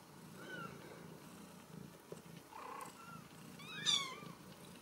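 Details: Several Ragdoll kittens born and raised indoors in central Kansas: soft, thin mews come scattered through the room, then one sharper, louder cry with a quick wavering rise near the end, over a low background hum.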